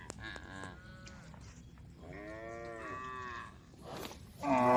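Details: Female tame cows in a group on a road call the herd: quieter, more distant drawn-out moos in the middle, then a sudden louder call at the end, in a calm background.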